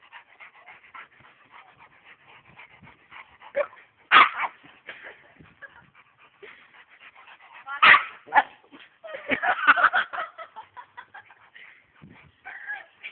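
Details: Two dogs playing, not fighting: a big dog scared by a friend's smaller dog. Sharp yips and barks burst out near four and eight seconds, then a rapid cluster around nine to ten seconds, with soft scuffling between.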